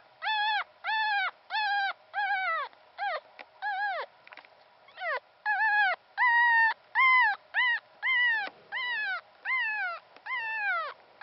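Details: A lone newborn puppy, Pomeranian sire and part-Pomeranian dam, whimpering insistently: about fifteen short, high whines in quick succession, each slightly arched in pitch, some rising and some falling off at the end.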